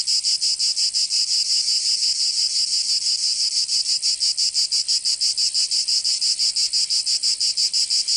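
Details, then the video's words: Summer chorus of cicadas in Provence, France, a piercing sizzling drone with very regular rapid throbbing pulses, loud and constant, nothing else heard. "Canto Cigarra 🦗 [ Escuchar les cigarras en verano 10 H]"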